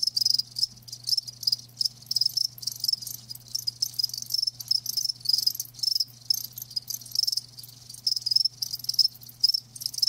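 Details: Live crickets producing dense, high-pitched pulsed chirps in short repeated bursts, many callers blending into a steady shrill chorus; low faint hum in the background.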